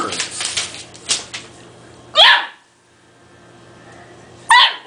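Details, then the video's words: Two-month-old Dogue de Bordeaux (French Mastiff) puppy barking at a small toy that scares him: two sharp, high, yappy barks about two seconds apart, with softer shuffling and knocking sounds before them. "Dogue De Bordeaux Puppy Mad At Toy"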